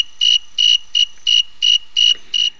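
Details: Snowy tree cricket, also called the thermometer cricket because its chirp rate tracks temperature, singing clear, pure-toned chirps repeated evenly about three times a second.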